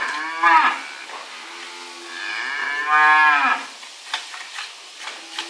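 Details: Dairy cow being milked by hand gives long, drawn-out moos with a rising then falling pitch, one after another, followed by soft milking squirts and a brief low call at the end.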